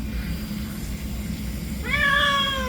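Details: Rescued former street cat with a spinal injury meowing while being bathed: a single clear, tonal meow rising at the start then holding steady, over a constant low hum.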